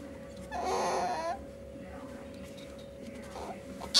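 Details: During mating between a male hob and a female jill ferret, a harsh, noisy scream lasts under a second, then fades to faint rustling and a steady electrical hum.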